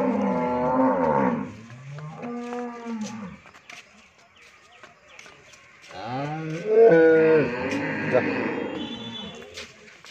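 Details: Friesian dairy cow in Bhangura, Pabna, Bangladesh, having calved once, lows twice: a short moo, a brief second call, then a longer wavering moo after a quiet gap, with faint clicks between.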